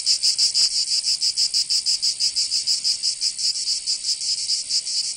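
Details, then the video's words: Cicadas in the southern French region of Provence during summer, their piercing metallic buzz beating in distinct rhythmic surges about five per second, with one brief faint click early on. "Canto Cigarra 🦗 [ Escuchar les cigarras en verano"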